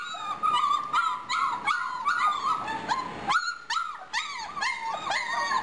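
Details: Litter of German Shorthaired Pointer puppies, four and a half weeks old, giving a steady stream of high, thin whines and yelps that rise and fall, overlapping one another about two or three times a second, clear against a quiet background.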